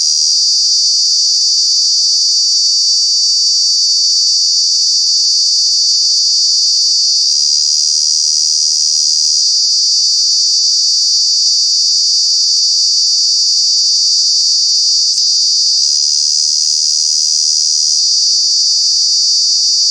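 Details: Cicada calling in the summer months at Kanha National Park, Madhya Pradesh: a very loud, sustained shrill whine with gentle surges in intensity every few seconds, never pausing.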